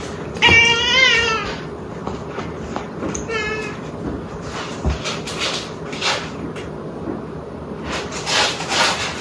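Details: Domestic cat in a compilation of funny cat moments giving a clear, wavering meow with a stack of bright harmonics near the start, a shorter second meow around three seconds, then rustling, thumps and faint background noise.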